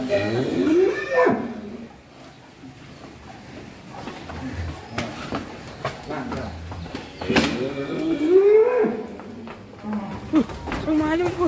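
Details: Bull becoming wild and raging as it leaves its pen for the first time in Indonesia; a loud rising-falling moo opens, a second long bellow near the middle, with men talking excitedly throughout.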